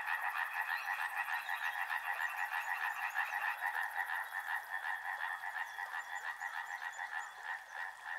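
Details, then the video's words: Chorus of river frogs with clearly separated pulsed croaks, about three per second, repeating over a steady background hum; a fine high ticking trill runs through the first half. "Frog Sounds | Soothing sounds of river and frogs"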